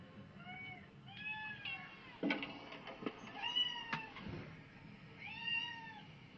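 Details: A pet cat in a home is being played cat videos; several clear, drawn-out meows with arching pitch come one after another, mixed with a few sharp clicks and knocks and a low background hum.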